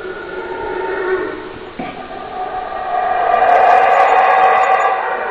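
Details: Deep, grating roars from a howler monkey start moderately, pause with a short break, then build into a louder, continuous howl with faint high twitters in the background.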